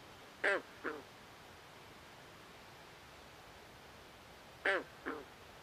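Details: Frog calling at night by a swamp: two short, nasal, harmonic croaks in quick succession, the first louder, the pair repeated about four seconds later over a quiet, steady background hiss.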